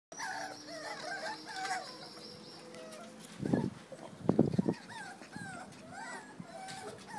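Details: A litter of 49-day-old Jack Russell Terrier puppies gives overlapping thin, wavering, high-pitched whines and squeals, with a couple of louder, rougher bursts partway through, perhaps yelps or handling noise.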